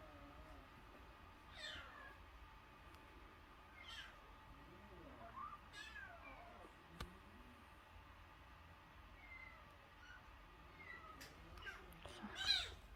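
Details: Soft, thin mewing from a nursing kitten under one month old that was found crying at the front gate, the cries spaced a couple of seconds apart over a quiet indoor background, ending in a louder squeal.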